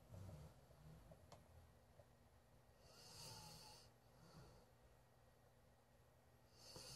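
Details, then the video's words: TJ, a Golden Retriever who fell asleep in a bedroom, snores with slow, breathy rasps over a low rumble. "Golden Retriever snoring"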